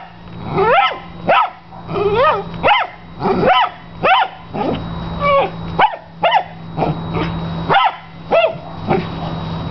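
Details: Dog playing with a large tennis ball gives an annoying, piercing bark: sharp rising-falling yelps roughly every half second to second, some with a whining upward slide, over a constant low electrical hum.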